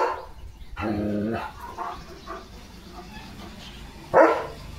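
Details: Leo, a German Shepherd, out on a village farm in the morning, gives a single short harmonic bark, followed by low rumbling background noise and a sharp knock near the end.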